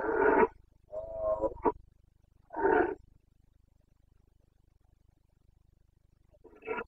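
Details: Rutting Carpathian red deer stag, Bucovina mountains, Romania, breeding season: rough, throaty bellowing roars, one drawn out over a second, then a pause and a fainter roar at the end, little other sound.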